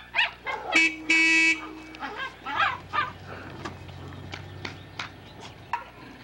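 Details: Young Poodle barking around a car horn. A couple of sharp barks come first, then two horn honks. A few barks follow, then fainter yips over a low hum.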